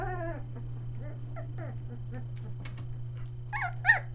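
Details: Three-week-old Aussie puppies, merle litter near Mooresville, NC, vocalizing: a falling whine at the start, soft scattered squeaks and snuffles in the middle, then two sharp high yelps near the end, with a constant low hum beneath.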